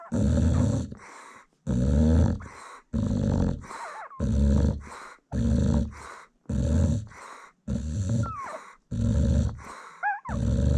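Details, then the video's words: Snoring American Bully mother nursing a newborn litter: rhythmic two-part snores, a long rough inhale then a shorter exhale, about one per second, with faint high puppy squeaks slipping in between. "Newborn American Bully Puppies Feeding While Mom Snores"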